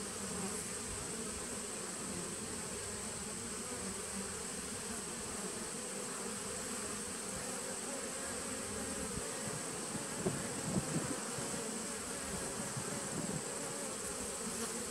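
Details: Steady drone from a 2017 nuc of honey bees on 19 September 2018, a thick layered buzz holding even throughout, with a few slightly louder bursts near the end as individual bees pass close.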